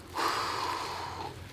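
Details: Female puff adder giving a warning hiss, forcefully breathing its air out through the nostrils: one long, breathy, steady hiss of about a second over a faint low hum.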